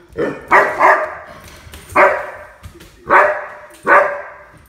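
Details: Puppy playing, letting out five bright, punchy barks in under five seconds, the first a quick double, the rest spaced about a second apart.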